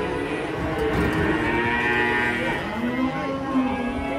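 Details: Cow unloading from a transport truck. Lowing sounds rise out of a noisy mix of music and crowd chatter: short harmonic moans, with a sliding low call near the end.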